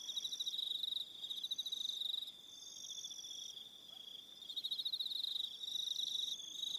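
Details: Evening crickets at Aroha Island in New Zealand, trilling fast and high in overlapping rhythmic bursts. Pulses repeat about three times a second, with brief dips in loudness between phrases and a faint steady higher whine.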